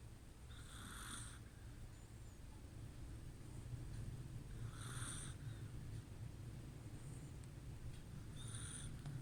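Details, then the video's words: Snoring from a Chihuahua called Kuu while it sleeps: three hushed, wheezy snores about four seconds apart, with a steady low background hum throughout. "寝るクー チワワ いびき"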